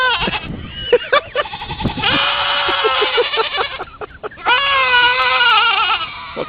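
A goat gives long, wavering, nasal bleats, one after another.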